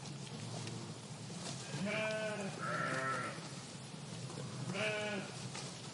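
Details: Sheep eating grass in a meadow; three wavering, nasal bleats with rich harmonic layers, the second longer and higher, spaced about a second or more apart over a constant soft hiss of outdoor ambience.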